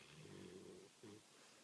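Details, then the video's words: Snoring from a sleeping American Pit Bull Terrier, two short, throaty, rattling snorts in quick succession, the first longer than the second. "Sleeping (snoring) American Pit Bull Terrier."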